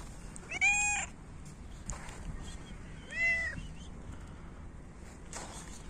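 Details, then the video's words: Hungry city cats in winter, competing for food as they are fed: two loud, harmonic meows, each rising then falling, about two and a half seconds apart, over low background rumble. "Cats meow loudly and compete for food"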